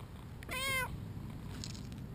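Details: Two-year-old male British Shorthair, a very vocal house cat, meowing while being played with: a single drawn-out harmonic meow lasting about a third of a second, over low room rumble.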